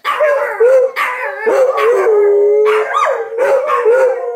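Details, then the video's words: Howling dogs answering the noontime sirens, a dense chorus of wavering, quavering wails with quick upward swoops, one voice holding a long even note in the middle. "Dogs start howling when the noontime sirens start to ring."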